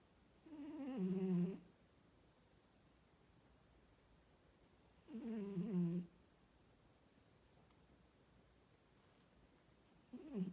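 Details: A female Norwegian Forest Cat snores in slow, throaty rasps about every four to five seconds.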